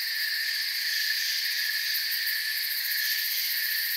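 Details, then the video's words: Brief stretch of forest crickets trilling without a break, a bright, layered high hum with fine rapid pulses in the uppermost tones and an even, flat loudness. "Forest Sounds and Crickets"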